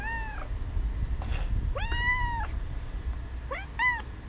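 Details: Domestic cat meowing as another cat hisses; three clear, drawn-out harmonic meows rising then falling, the middle one longest, with a brief breathy hiss between the first two.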